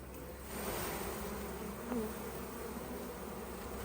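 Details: Honey bees in a hive opened to take honey, with five frames lifted out: a steady, dense buzzing hum fills the whole stretch, swelling slightly after the first half second, with a faint brief tonal rise near the two-second mark.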